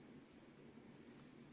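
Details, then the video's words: Night insect chorus after midnight in Kokrobeita on the Ghana coast: a cricket gives evenly spaced, thin high chirps, roughly four each second, standing out above the quieter rumble of ocean waves. "well i think the cricket is kind of louder than the ocean right now"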